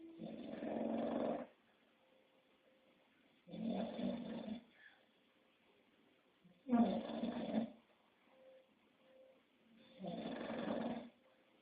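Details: English Bulldog snores through its sleep, four long raspy snorts spaced about three seconds apart, each lasting over a second, separated by near silence with a faint tonal hum in the background.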